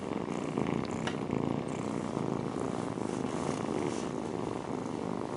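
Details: A mother cat keeps up a soft rolling purr while kittens feed against her, the rapid low vibration continuing uninterrupted, with a small tap early on.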